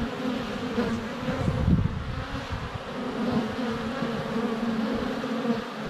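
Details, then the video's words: Sunny February day at a honey bee hive entrance, GoPro Hero 7 Black less than a foot away; many bees fly past in a continuous low buzz, swelling louder near the middle as one passes close. "4K Honey Bees - ambient video and audio"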